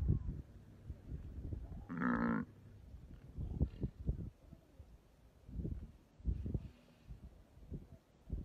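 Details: A buffalo being eaten alive by a hyena gives one short, harmonic, moaning bellow about two seconds in, amid low crunching and rustling noises.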